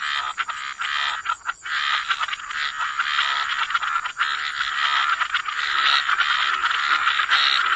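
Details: A dense wetland chorus of croaking frogs, almost continuous raspy pulsing that builds in loudness toward the end, many voices merging with a faint steady high tone behind.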